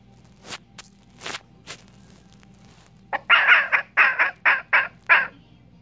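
A red fox kit lets out a burst of raspy, chattering yelps in rapid succession, each short and rough-edged. Faint soft clicks and rustles come just before the calls.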